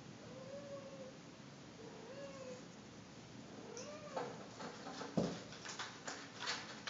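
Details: Ragdoll kittens playing together give thin, high mews that bend up and down, followed by soft knocks and scuffling.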